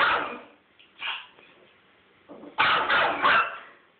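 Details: Teacup Yorkshire Terrier, a pet dog, excitedly chasing turtles: short harsh bark bursts, one at the start, a softer one after a second, then a loud cluster of two or three near the end, separated by quiet gaps.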